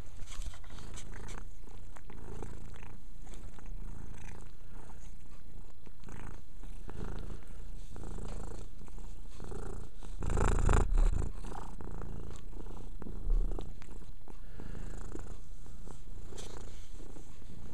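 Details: Mia, a pet cat, purrs as she grooms herself: deep, even rumbling with soft wet licking noises and a brief louder rustle near the middle.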